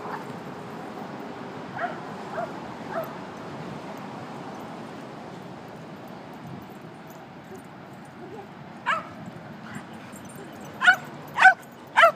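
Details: Dogs Gretchen and Tiggy at a dog park: a few soft distant yips early on, then three sharp, loud barks in quick succession near the end over steady outdoor background noise.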